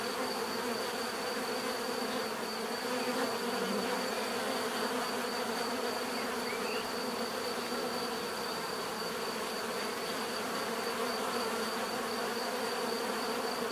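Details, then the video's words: Continuous swarm drone from many bees, an even, unbroken hum held throughout, with a brief faint chirp partway through. "bees therapy relaxing natural buzzing sound"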